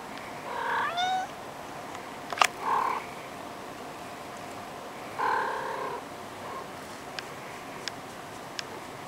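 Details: Domestic cat family of a mother cat and four kittens about four weeks old, relaxing on a bed one afternoon; short harmonic meows, one rising then falling, a few spaced calls over faint background hiss.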